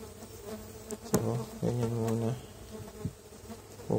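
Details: Close buzzing of stingless bees (Tetragonula biroi) during the first check of a hive box, one month after the colony was moved from a feral nest: deep, rough drones rise and fade in short bursts.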